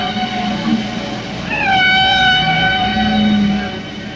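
A humpback whale sings a drawn-out, rising moan that levels into a steady, harmonic tone.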